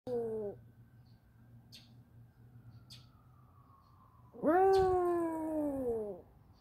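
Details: Dog howling in response to a passing fire truck: a brief falling howl at the start, then a long clear tonal howl sliding slowly downward, with a faint background hum and a few soft clicks.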